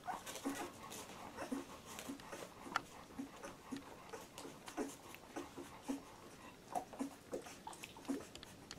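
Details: Litter of Labrador Retriever puppies at 14 days old: short squeaky whimpers recurring roughly every half second to second, thin and slightly wavering, over soft rustling.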